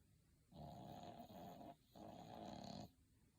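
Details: A dog asleep and apparently comfortable, snoring: two harsh, rasping snores of about a second each, separated by a brief pause, in a quiet room.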